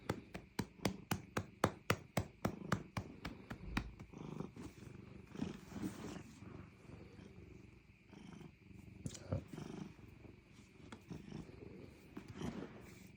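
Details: Cat patted on the rump: quick regular pats for the first four seconds, then a rough, low rumbling purr swelling and fading in uneven pulses.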